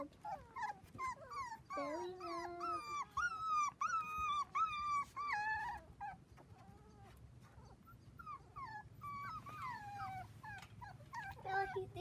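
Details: A litter of seven Dachshund puppies, four weeks old, romping on a trampoline with kids, keep up a busy chorus of squeaky whimpers and yips that rise then fall, several overlapping, fading toward the end.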